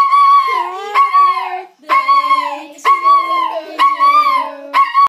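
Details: Pet toy poodle, seven-year-old male, singing along to Happy Birthday: repeated drawn-out yowling howls, each starting high and sliding down, roughly once a second, with human singing in the background.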